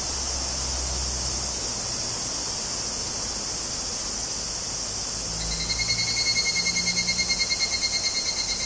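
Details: Higurashi cicada (Tanna japonensis) in Kobe, Japan, 14 August 2011, on a Zoom handheld recorder: a steady high insect hiss, then after about five seconds a clear, ringing, rapidly pulsed tonal call begins over the chorus.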